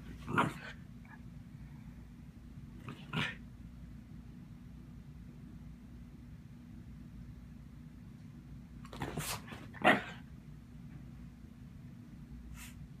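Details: Pet Shiba Inu dog trying to play with some cats that are not having it; a few short, sharp barks or yips near the start, around three seconds and nine to ten seconds, separated by long quiet gaps over a low steady hum.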